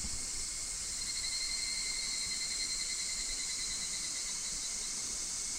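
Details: Higurashi cicadas, August 2026, Minoh Park, Kawachinagano or Mount Koya, Japan. A short stretch of steady, shimmering ringing tones in a full, high insect chorus, with faint low rumble beneath.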